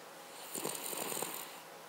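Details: Snoring Cavalier King Charles Spaniel called Paca: a single short, rattling breath with a buzzy flutter and soft airy hiss, lasting about a second against quiet indoor background.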